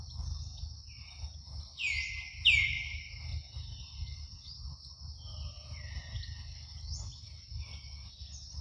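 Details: Baby monkey Luno getting milk in the morning gives a single shrill cry that swoops down and holds briefly, then fainter soft whistles follow against a continuous high hum and low-frequency noise.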